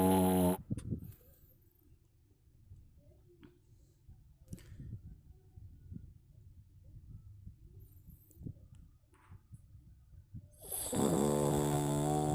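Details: Domestic cat sleeping and snoring: soft, low, breathy snores repeating roughly every half second at uneven intervals through the quiet middle stretch, with louder tonal sound at the very start and again near the end.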